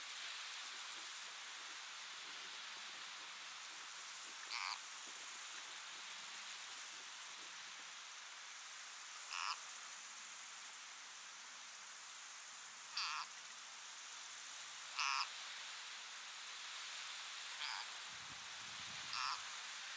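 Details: While a grass snake tries to eat it, a frog fights back with a series of about seven short, bright cries at irregular intervals of two to four seconds, softer than the background hiss.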